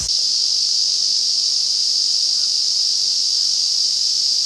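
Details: A summer forest chorus of Ezo cicadas recorded in August at the Afan Woodland in Shinano, Nagano Prefecture, Japan. An unbroken, shrill, buzzing wall of sound holds constant throughout, with nothing else clearly audible.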